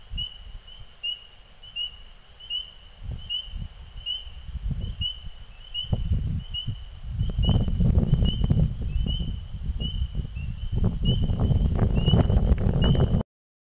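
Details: Frogs in song as evening falls in spring: a long run of some nineteen sharp, high peeps spaced under a second apart, while a deep rumbling noise swells noticeably louder halfway through.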